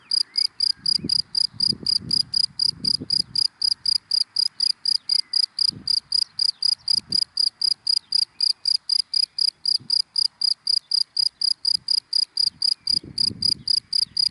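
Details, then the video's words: Daytime cricket in dry grass giving a steady run of high chirps, roughly four each second, evenly spaced, while low rumbles of passing cars come and go underneath. "Sound of Cricket in Dry Grass in the Daytime"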